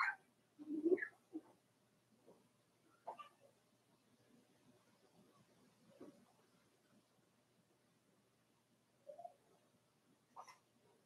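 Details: Four-week-old Cavalier King Charles Spaniel puppies from Daisy's litter in their indoor puppy pen: a loud cluster of squealing whimpers early on, then a few softer whines scattered across the quiet room, one more near the end.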